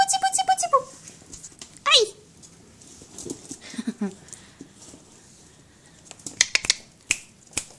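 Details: Basenji puppy almost six weeks old giving high, harmonic whines that slide downward in the first second, then a sharp rising-and-falling yelp near two seconds, followed by softer squeaks, faint clicks and a person speaking quietly.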